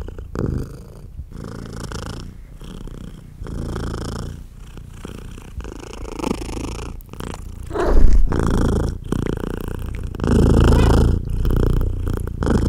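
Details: A British Shorthair mother cat nursing her tiny kittens purrs loudly the whole time, a steady, low, rumbling purr pulsing rapidly and continuously.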